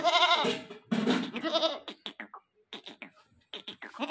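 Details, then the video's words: Newly acquired goat calling nonstop: two loud, wavering, nasal bleats in the first two seconds, followed by short broken clicks and scraping sounds. "Aj hm ny ak new goat liya or oski awaz he band ni ho rahi thi yar"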